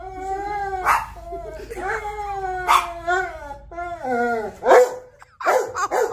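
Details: Labrador Retriever dog talking to its owner: a run of long, howl-like moaning tones that rise and fall, broken by short yelps and whimpers, repeated continuously for several seconds.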